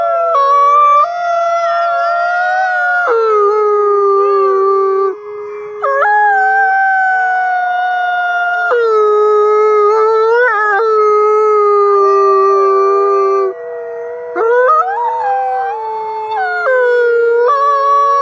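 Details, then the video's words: Chorus of overlapping wolf howls: several long tonal voices at different pitches rise, waver and fall, crossing one another almost without pause over eighteen seconds. "Wolf howling"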